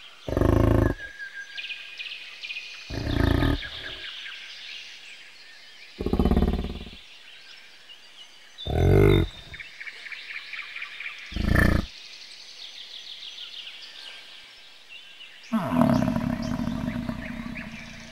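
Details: Bison uttering a series of short, deep, guttural grunts at irregular intervals, ending in a longer rolling roar, with soft birdsong audible behind the calls outdoors.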